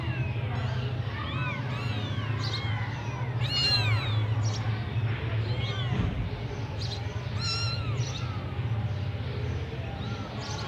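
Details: Persian kittens of the semi-punch face type in Gujranwala, with several short, arched, high mews overlapping and repeating rapidly over a steady low mechanical hum.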